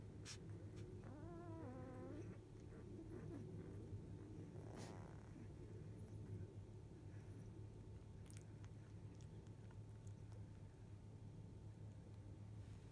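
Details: Field-type Labrador Retriever puppies, one of eight born to biscuit, 14 days old, sleeping after nursing indoors; a wavering, harmonic-rich squeal rises and falls near the two-second mark, with a few faint squeaks later over a steady low hum.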